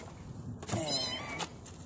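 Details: Kitten giving a single drawn-out meow of under a second, bright with layered overtones, rising slightly and then fading, with quiet background hiss.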